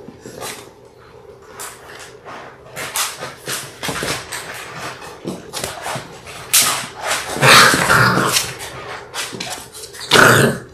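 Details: Labrador Retriever litter of six, six weeks old, filmed on a live puppy cam on February 28; sharp high yips and whines near the end rise above the constant clatter and scratching of small paws indoors.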